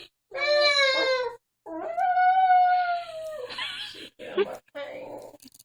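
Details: Dog howling together with its owner indoors, two long tonal howls, the second held steady then fading, followed by rough breathy sounds and short bursts.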